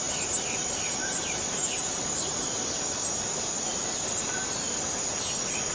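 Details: Borneo rainforest cicada droning in a constant high, hissing whine, joined by faint brief rising chirps from other callers scattered through the background.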